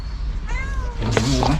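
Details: A mother stray cat cries for her dead kittens, killed by a reticulated python after she gave birth to four in a cardboard box. One brief, falling meow, then a man talking.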